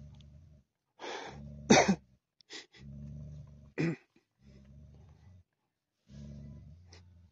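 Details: Tibetan Mastiff named Daniu, kept at a mine, in hunting mode, its voice said to sound like a lion: deep, rough, throaty bursts about a second long, repeated five times, broken by sharp huffing, cough-like blasts.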